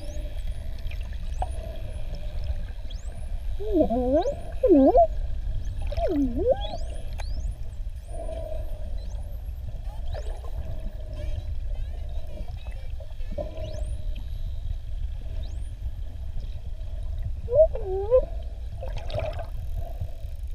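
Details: Underwater recording of Avalon, a wild adult male bottlenose dolphin in Mozambique's Ponta do Ouro Partial Marine Reserve, jaws open; looping U-shaped whistles near four and seventeen seconds, faint upsweeps and clicks, over low water rumble.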